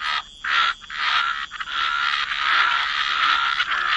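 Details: Frogs in a chorus by the waterside in wetlands, producing dense, overlapping raspy croaks that run almost without pause, with a few brief gaps in the first second.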